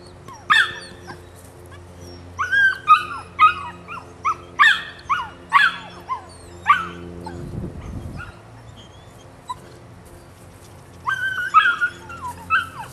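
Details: Rodin/Katana female pup, aged nine weeks, yapping in sharp high barks roughly every half second, breaking off for a few quiet seconds around the middle before a final cluster of yips.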